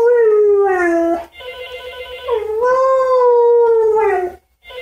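A Siberian Husky gives long, mid-pitched howls that slide slowly downward, set off by a ringing phone.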